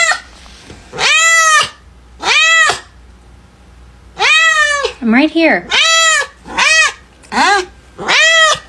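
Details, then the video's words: Pet cat indoors giving a series of loud, drawn-out meows with clear harmonic, slightly wavering tones, about eight calls in under nine seconds, some rising then falling, with a person's voice faintly between them. "Funny TALKING Cats"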